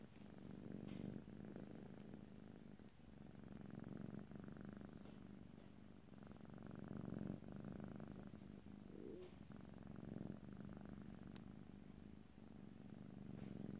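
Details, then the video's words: Cat purring continuously in a close stereo ear-to-ear recording: a soft, even low rumble with gentle breathing swells, occasional light rustles and one brief higher squeak. "ASMR Cat: Purring"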